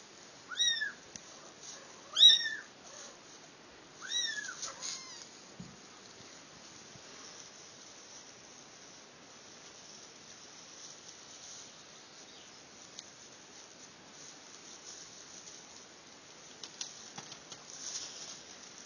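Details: Mother cat carrying her kittens: three short, high, arching mews come within the first five seconds, each bending up then down, followed by a long stretch of near quiet with faint rustling and a few soft clicks near the end.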